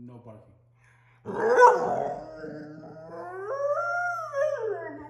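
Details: Six-month-old female German Shorthaired Pointer puppy, refused a trip outside and talking back with attitude: a loud rough yelp, a muttering grumble, then a long tonal howl that climbs, holds and slides down, over a steady low indoor hum.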